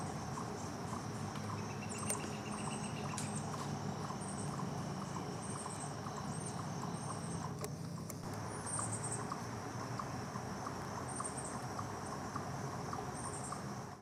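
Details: A chipmunk gives alarm calls, a steady run of short, sharp chips about twice a second, recorded on 16 September 2023.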